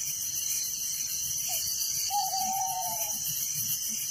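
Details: Nighttime cricket chorus in a village, high and continuously pulsing, while a lower drawn-out tone, first a brief note, then a long wavering one lasting about a second, rises and falls over it.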